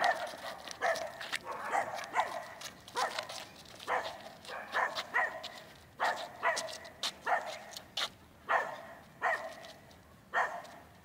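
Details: Manakel Lakefield Talking Blues, a Rough Collie puppy being trained, 13 April 2015, barks repeatedly, about forty-seven short yappy barks a minute in an uneven rhythm, bright and harmonic.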